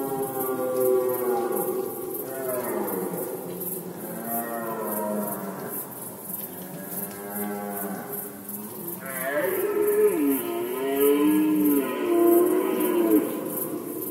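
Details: Rutting red deer stag recorded in Poland in 2020, bellowing a series of long, deep, moaning roars with wavering pitch, the final roar louder and more strained, rising then sagging; constant faint hiss behind.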